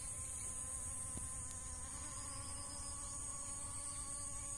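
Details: Honey bees gathering nectar from dragon fruit flowers: a steady, low droning hum with faint even harmonic tones held throughout, over constant high hiss, with a brief click near the middle.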